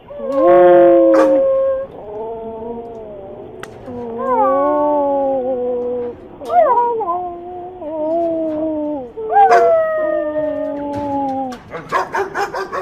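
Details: Dog howling in long, sustained, tonal wails that rise and fall and bend upward in places, with several separate howls and a burst of short, noisy yips at the close.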